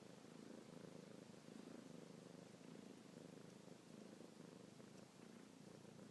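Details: Indoor kitten Luna purring non-stop as she suckles a fingertip; smooth, even low purr with regular breathing pulses and few other sounds.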